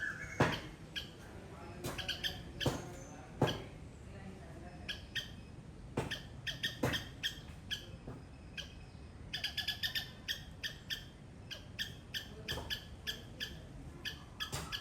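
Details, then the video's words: Squirrel in a garden in Sri Lanka giving loud calls: bursts of sharp, ringing chirps, sometimes in quick clusters and sometimes spaced out, mixed with occasional clicks and knocks over steady background hiss. "Loud Squirrel sound"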